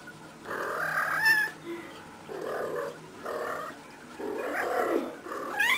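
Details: Playful female cat rolling around wildly, giving a near-continuous series of short harmonic meows, chirps and trilling mews in bursts of about a second, some rising sharply at the end, with brief quiet gaps between.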